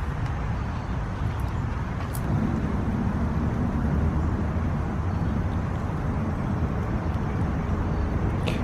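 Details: Steady low rumble of road traffic and passing cars outdoors, with no animal voices heard.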